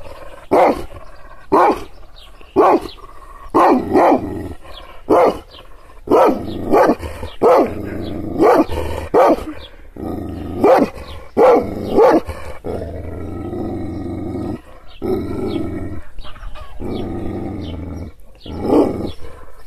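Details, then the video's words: Kangal shepherd dog angered by hand gestures: a rapid run of loud, deep barks, then slower barks mixed with drawn-out growls toward the end. "Yırtıcı kangal köpeği anadolu aslanı çoban köpeği kızgın köpek havlamasi urmesi sesleri"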